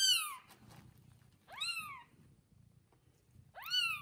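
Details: Mother cat and newborn kittens only one day old, resting in a comfortable nest; three clear, high-pitched mews, each rising then sliding down, spaced roughly one and a half to two seconds apart, with soft low rustling between.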